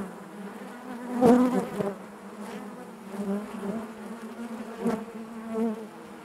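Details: Steady collective hum of honey bees within the hive, a low layered drone punctuated by a sharp close buzz early on and softer swells later.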